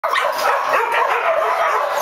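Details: A brown poodle recorded on 5 March 2011, giving a steady run of high, whining yips and whimpers whose pitch bends up and down, packed closely together without pause.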